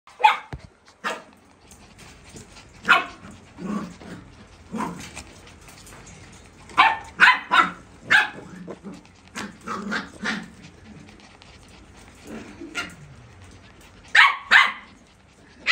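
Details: Pembroke Welsh Corgi puppies at a kennel playing nonstop: sharp, high yips and barks in irregular bursts, some in quick doublets, mixed with lower growly grumbles and scuffling.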